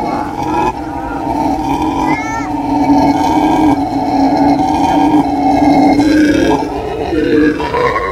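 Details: Howler monkeys howling: a loud, continuous roaring drone with strong layered tones, steady throughout, with brief higher wavering notes near the two-second mark.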